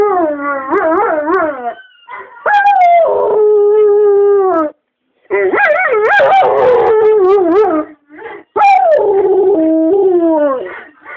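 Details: Morphy, a household dog, howls back at a played recording of Oliver the Bull Mastiff: long quavering howls rising and falling, one held steady note, a short silence midway, then more bending, overlapping howls.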